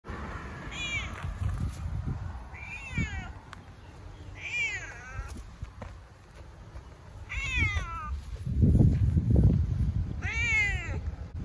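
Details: Cat meowing repeatedly: four drawn-out, rising-then-falling meows spaced a few seconds apart, with a low rumbling background noise that swells near the end.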